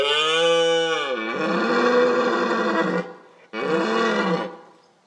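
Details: Red deer stag roaring during the October rut. Two long, deep, harmonic roars are heard: the first lasts about three seconds and falls at its start, and the second, about one second long, follows after a short pause.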